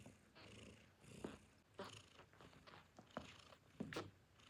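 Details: Newborn kittens nursing on their mother's milk, a low steady purr-like rumble under short sharp mews and squeaks scattered every second or so.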